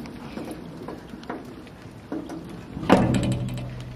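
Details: Mechanical clicking and tapping, like a ratchet or latch, followed near the three-second mark by a louder door-like thud with a low hum after it; no animal voice stands out.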